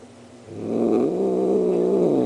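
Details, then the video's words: Pet cat Star, a female, voicing her Halloween greeting: after a quiet start she swells into a deep, rough, moaning growl that holds level and loud to the end. "Star the cat says Happy Halloween"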